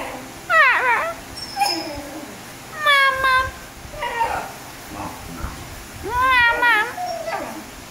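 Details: Basenji dog answering its owner in a small room with a run of short wavering, yodel-like whines and yelps, several bursts spread over the clip, faint human voice in between.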